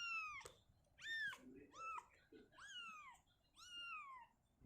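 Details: Shizuka, a mother cat, moving her kitten out of a cabinet to an open area indoors; five loud, clear meows, each rising then falling, spaced about a second apart.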